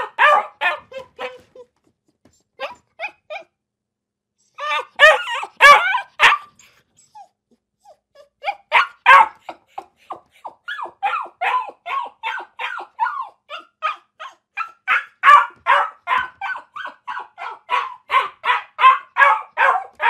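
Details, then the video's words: Dog barking in a compilation of dog sounds: bursts of sharp, mid-pitched barks, some in quick runs, with short pauses, building to a steady rapid series of barks in the second half. "Dog sounds | Top 7 dogs barking video | Sounds of dogs barking and howling"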